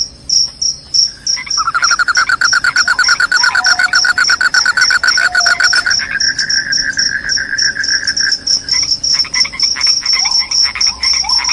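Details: Insistent high cricket chirps, rapid and uneven, continue throughout while a loud lower pulsed trill rises in, holds steady for several seconds, then gives way to scattered chirps.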